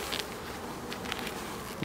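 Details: Honey bees at an end-of-summer hive inspection on 22 September, a steady dense humming drone with scattered clicks and taps of frames being handled.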